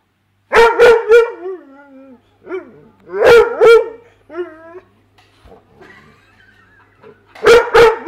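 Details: A Weimaraner gives bursts of two or three sharp, mid-pitched barks, with whining yips between them, while trying to get at fish in a tank it cannot reach, tail going.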